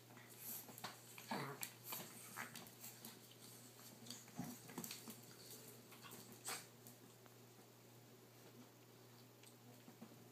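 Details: Indoors, a blue Boston Terrier dad romps with his young puppies, one 3 months old and two 5.5 weeks old, filmed by phone; thin whimpers and a few sharp yips early on, then clicking paws and rustling over a constant low hum.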